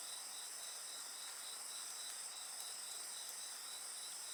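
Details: Steady chorus of night insects beside a bonfire, several high continuous trilling bands layered together, with a faint pulsing band in the middle and occasional soft crackles from the fire.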